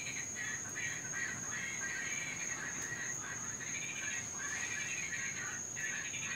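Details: Invasive Cuban tree frogs in Florida giving their nightly chorus, loudest when raining: overlapping scratchy, croaking bursts run almost without pause, with a constant thin high tone in the background.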